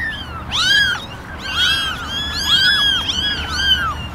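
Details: Eleven kittens in a basket, ten gingers and one white, mew for attention; thin arched cries overlap in quick succession, several kittens calling together.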